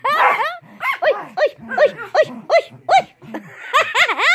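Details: A Chihuahua biting toes lets out a quick run of short, high, arching yips, about two or three per second, with human voices and laughter at the start and the end.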